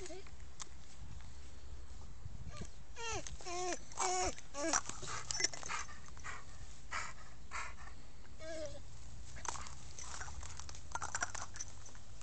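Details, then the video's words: Sam, an American Staffordshire Terrier, whines in wavering, up-and-down tones in a run of several cries, then one more later on, with rustling, a low hum and some faint speech. "American staffordshire terrier - SAM"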